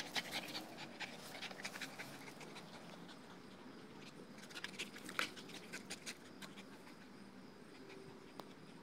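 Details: Two-year-old male Dogo Argentino panting after several minutes of playing tug on a Tether Tug Uber, tired and happy; continuous quick breathy pants with a few sharp clicks and knocks around the middle.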